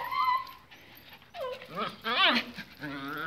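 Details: Pinscher dogs, excited as leashes are put on for a walk, give high whining yelps with rising and falling harmonic arcs around one second in, mixed with a person's voice.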